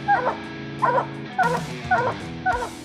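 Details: Treeing hound, a coonhound, barking at an animal up a tree until the hunter arrives; five short, ringing barks spaced about half a second apart over steady background music.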